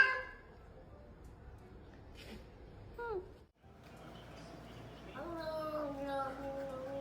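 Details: Domestic cat meowing, a call said to mean the cat feels really lonely; one short falling meow near the middle, then a longer drawn-out harmonic meow that slides slowly downward, with a low background hum.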